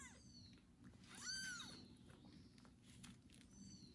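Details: Male kitten Kubik meowing loudly after his first bath while a pregnant foster mother cat licks him; one clear high arched meow, rising then falling, with softer faint calls and low indoor hum around it.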